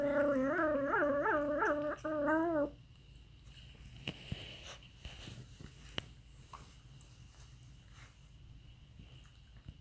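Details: Aardvark producing a weird, warbling whine that wobbles rapidly up and down in pitch for under three seconds, then only quiet background hiss with scattered clicks.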